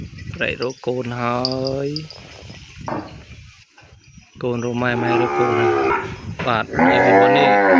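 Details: Young calf separated from its mother and crying for her: a wavering moo, then a pause of rustling, then a run of loud, quick, rising and falling bleating moos that grow harsher at the end.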